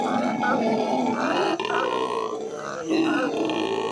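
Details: Howler monkeys howling at the L.A. Zoo, May 2014. A gravelly, drawn-out roar rises and falls in uneven surges, with a louder swell toward the end.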